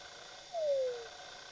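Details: A Weddell seal singing beneath the Antarctic sea ice gives one clear whistle that glides smoothly downward over half a second.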